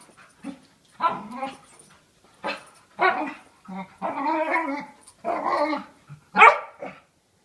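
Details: During play fighting between two dogs, a year-old of about 40 lbs and a 5-year-old of about 95 lbs, a dog gives strange moaning growls with whiny rises, in short bursts and one longer, wavering groan, ending in a sharp yelp.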